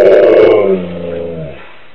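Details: Siberian Husky indoors after its owner returns from shopping, giving a loud, wavering, wolf-like vocal cry that slides downward in pitch and fades over about two seconds.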